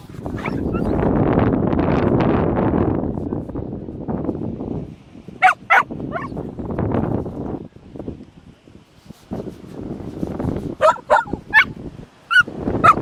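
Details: Dogs on a beach walk: loud wind rumble at first, then sharp high yips and short barks in quick bursts, clustered around the middle and again near the end, with scattered rustling between.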